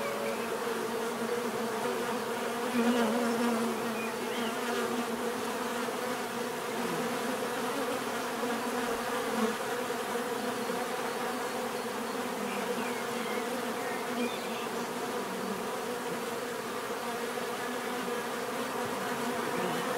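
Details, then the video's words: Dense, continuous droning of many bees, with nearby individuals swelling briefly louder around three and nine seconds and soft higher chirps mid-clip. "bees therapy relaxing natural buzzing sound"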